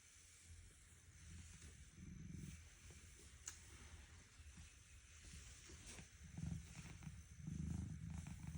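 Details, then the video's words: Sleeping domestic cat snoring in the morning: soft, low, rumbling breaths, a few seconds apart, faint at first and stronger toward the end, with a quiet background hiss. "Please don't disturb my snoring when I sleep"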